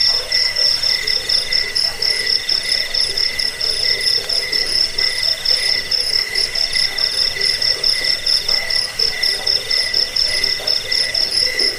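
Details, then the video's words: Crickets from a rat-repelling, sleep-inducing bird-training recording: continuous shrill pulsed chirps in layered pitches, slightly slower beats in places, a high ringing tone persisting throughout. "Suara jangkik pengusir tikus pengantar tidur"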